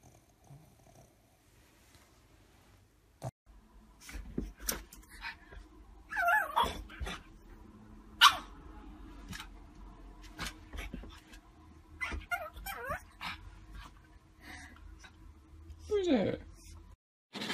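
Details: Pug indoors giving short sharp barks and yelping whines that rise and fall, the loudest near the middle and again near the end, separated by quieter grumbles, clicks and thumps.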